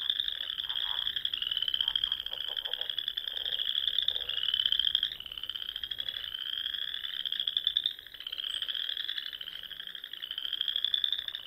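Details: Dusk in the Sandhills of Nebraska in spring, frogs calling in a thick chorus of high, buzzy trills rising and falling in loudness, with scattered lower rattling croaks near the start.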